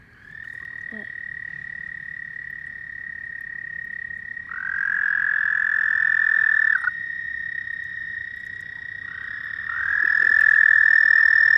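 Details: Frog trilling at night, a sustained high buzzing note held steadily, joined by a louder overlapping trill from about four and a half to seven seconds and again after ten seconds.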